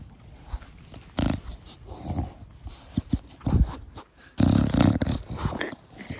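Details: Pet Bulldog named Da Vinci playing with its owner in a garden, a short-nosed breed, giving its typical loud snorting 'fugo fugo' breathing: low, rough bursts of snorts, strongest near one and four seconds, with rustling between.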